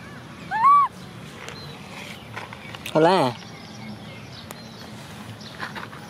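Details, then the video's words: ['Baby macaque Cola, an orphan, cries because she wants to ride a bike: two loud arched tonal wails, each rising then falling, about two seconds apart, with quiet talking and outdoor background between them.'] "Cola monkey cries because she wants to ride a bike! Baby Cola cries"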